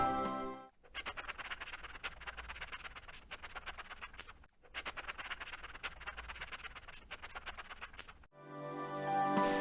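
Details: A hedgehog snorts: rapid, hissy puffs and snuffles running together in quick bursts.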